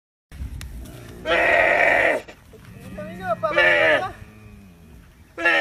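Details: Baby camel screaming, loud harsh bleating cries of about a second each, repeated three times with quieter gaps and some low background sounds between.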